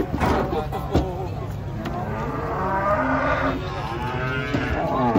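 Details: A giant bull comes down from a truck in the morning amid loud knocks and clatter. A drawn-out, wavering moo builds in the second half over rumbling background noise.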